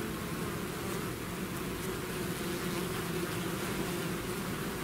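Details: Bees swarming out of their hive make a constant thick hum, many overlapping wingbeats forming low droning bands that hold steady for the whole stretch, without any other clear sound.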